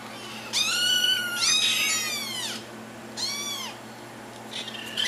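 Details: Small kittens meowing for their owners' attention, with two long, overlapping, strained meows followed by a shorter arched one and a faint final call, over a low background hum.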